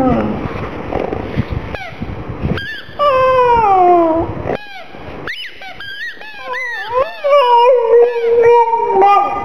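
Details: Black pug Gong Fu crying, sad for the little ball, with rottweiler Poncho nearby: a muffled start gives way to drawn-out falling whines, then a run of quick wavering squeaks and sustained plaintive tones.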